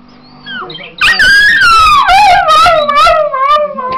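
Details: Patterdale × Border terrier cross singing: after a quiet whine, one loud sustained howl that starts high, wavers and slowly falls over about three seconds, with faint television talk behind it.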